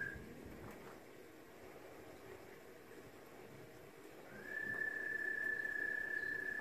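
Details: An American toad sings in a nature-centre habitat pond, a long, steady, high musical trill on one pitch, picked up by a parabolic microphone and heard from inside an observation room.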